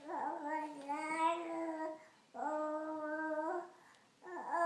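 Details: Sawyer, a dog, produces funny indoor noises: three long, steady, moaning tones with rich overtones, the first sliding slightly upward, separated by brief silences.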